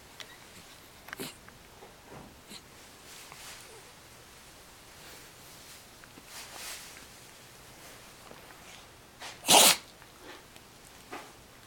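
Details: A sleepy, lazy puppy gives a faint yawn, then one sudden, loud, sharp and hissing sneeze near the end; otherwise the room is almost silent apart from soft rustles.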